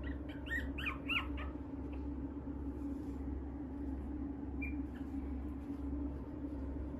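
A small Shih Tzu–Maltese mix gives a quick burst of high, squeaky whines, then falls quiet.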